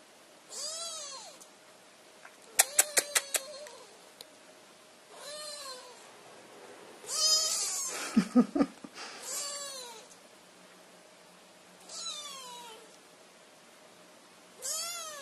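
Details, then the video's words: A little kitten calling for its owners' attention repeats arched meows that rise then fall, spaced roughly every two to three seconds, with sharp clicks and tapping sounds around them. "Little Kittens Meowing"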